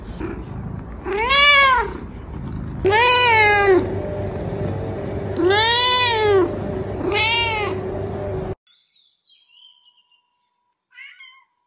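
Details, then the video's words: Four arched, wavering meows from a cat, each rising then falling, over a steady low hum, followed by near silence with a few faint high chirps. "CAT MEOWING SOUNDS"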